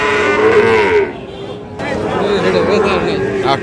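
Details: At the Ambari cattle market in Dinajpur, Bangladesh, on 11 July 2025, a Sahiwal bull calf gives one sustained, slightly wavering moo lasting about a second, then busy crowd murmur fills the rest.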